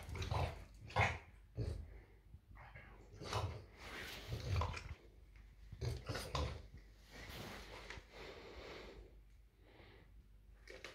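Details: French Bulldog indoors protesting at bedtime while arguing with its owner, a run of low growly grumbles and moaning huffs in uneven bursts, louder early then trailing off.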